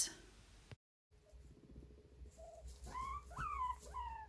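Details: A guinea pig gives submissive squeaks, a run of drawn-out, high, whining squeaks that arch and fall, longer and more desperate than other squeaks, telling a dominant guinea pig it is not a threat.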